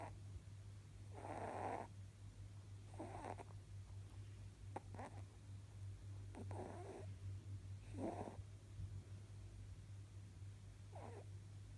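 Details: A nearly eleven-year-old male rabbit snores while power napping indoors, giving six raspy, breathy snorts spaced about every one and a half to three seconds, with a few tiny clicks and a steady low hum underneath.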